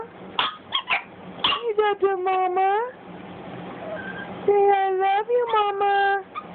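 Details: Young Boston Terrier Cj chattering at its owner. Short choppy yips give way to a quivering, pulsing whine, then after a lull a steady drawn-out tone breaks into several wobbling notes.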